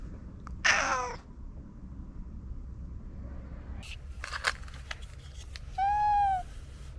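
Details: Pet cat giving a loud, harsh meow early on. After a quiet stretch with a few clicks and rustles, it ends with a clear, pure, gently arched mew.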